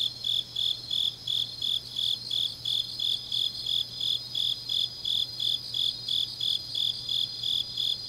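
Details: Autumn grass insects singing deep at night in Changnyeong, South Gyeongsang, South Korea: steady high chirps pulsing about three times a second, with a second, continuous shrill trill layered above and a faint low hum beneath.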